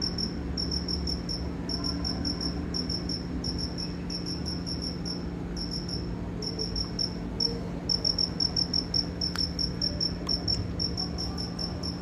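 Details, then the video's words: Cricket chirping in short, high, ringing pulses grouped into rapid runs with brief pauses, continuing for twelve seconds over a steady low hum and faint background noise. "Efeito sonoro do Grilo cri cri"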